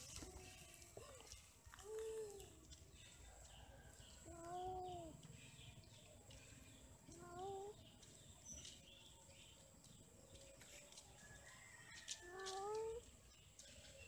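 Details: Quarrelling, mating cats: a series of short, bent meow-like cries repeated every few seconds, fairly quiet against a hissy background with soft low noise.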